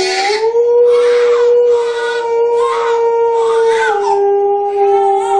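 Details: Alaskan Malamute puppy, kept as a family pet and playing with children: one long, steady, mid-pitched howl held for about four seconds, then stepping slightly lower and sustained. Soft breathy bursts, like human voices, rise and fall over it.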